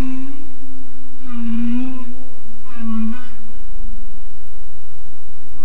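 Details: Deep in Monterey Bay, 900 meters below the surface, a humpback whale sings: a sustained low moan with two louder swelling pulses around the middle, overlaid by faint higher harmonic trills, against steady low underwater rumble.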